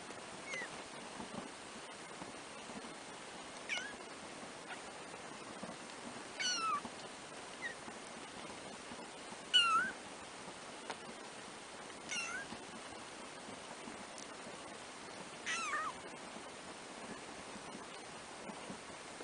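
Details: Four black 3-week-old kittens, the first-born litter of a pet cat named Trisya, give thin high meows, short rising-falling cries spaced a few seconds apart across the recording, over a steady background hiss.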